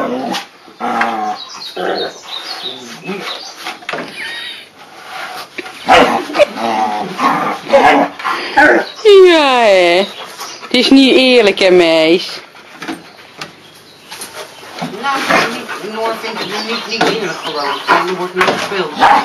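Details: Pyrenean Mountain Dog puppies Noor, seven months, and Peluche, four months, at play through a fence, giving scattered growls and then wavering, rising-and-falling whines and yelps midway, with people talking in Dutch throughout.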